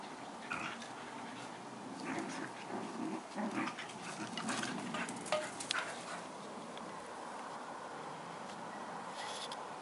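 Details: Collie-cross dogs Badger and Pirate in a play fight: short gruff growls and snarls cluster in the middle, mixed with scrabbling and a few sharp knocks, then quieter background.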